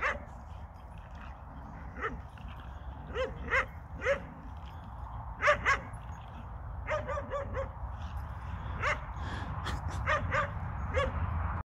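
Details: Lurcher at play, giving a run of short sharp barks and yips, some in quick pairs and others spaced a second or so apart, over a steady low rumble of background noise.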